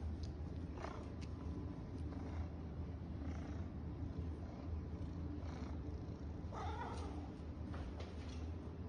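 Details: Low continuous purring from a house cat during a game of fetch, with short soft vocal bursts and light rustling noises breaking in here and there, one clearer chirp-like sound late on.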